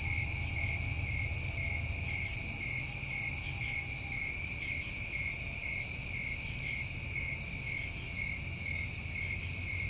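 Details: A summer chorus of New England crickets sounds as a constant shimmering high trill in two even layers; two brief very high chirps stand out, about five seconds apart, over a soft low rumble.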